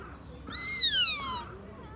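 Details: Young sika deer fawn in Nara Park, Japan, near Tōdai-ji's Great South Gate, calling in a voice its filmer had not heard before: a single high, whistle-like squeal lasting about one second that starts bright and glides steadily downward in pitch.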